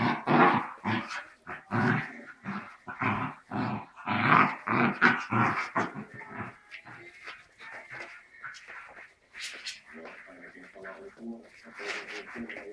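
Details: A dachshund and a Cairn Terrier trade rough, gravelly growls and snarls in bursts during their daily play-wrestling ritual to settle who's who.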